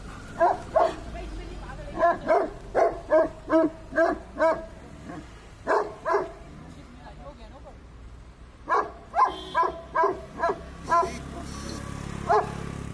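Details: Tibetan Mastiff barking in public: a run of about ten loud, evenly spaced barks, a short pause with a few more, then another burst of rapid barks, with faint traffic hum behind.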